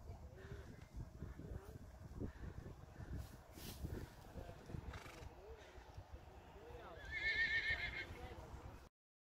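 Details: Friesian horse foals from a herd, among them Lianne, Lina, Lieke, Jildou and Jacobien, out without their mother; a loud, shaky whinny rises near the end over steady people's talk and scattered hoof sounds.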